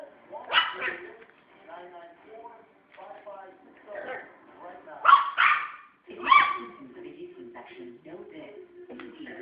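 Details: A pet Schnauzer barking at a toy he used to hate, with several sharp, loud single barks spaced a few seconds apart between stretches of a person talking quietly.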